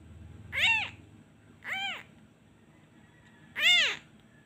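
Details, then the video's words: Abandoned kitten that misses its mother cries when the hand is taken off: three loud, bright meows, the first two close together and the last after a two-second pause, with a short low rumble at the start. "He cries everytime I removed my hand. He really miss his mother."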